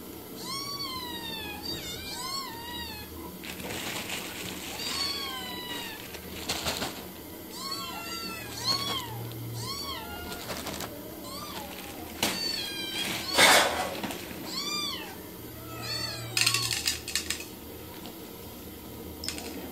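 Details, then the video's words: Kittens and cats in a domestic setting meow repeatedly, high, arched cries coming in quick series, some doubled, interrupted by a few sharp knocks and rustles over a faint low hum. "Funny Cats and Kittens Meowing Compilation//Meowing cat"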